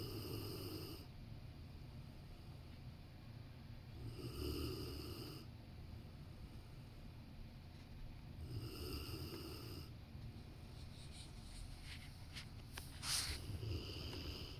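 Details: Rottweiler napping next to its owner on a sofa, snoring steadily: broad, breathy rasping snores in regular bursts about every four seconds, low and rumbling with airy upper hiss, one brief sharper snort near the end.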